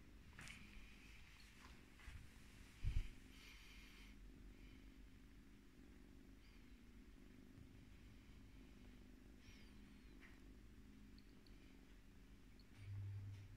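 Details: Female Scottish Fold kitten, born in Britain on 5 July 2018, purring while being brushed indoors; a soft, steady low rumble runs throughout, with light brushing scratches and a brief knock near the middle.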